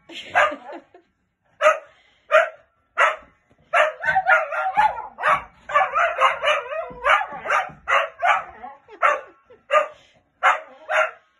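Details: Golden cocker spaniel playing with a giant bouncy ball, giving short sharp barks, some single and spaced about a second apart, others bunched into rapid excited runs, in a quiet indoor setting.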